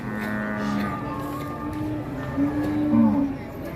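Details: Cattle at the busy Ngawi market, Indonesia, sold in bulk onto trucks. Faint, steady low lowing is heard, with a short wavering moo near the end, partly under music and people talking.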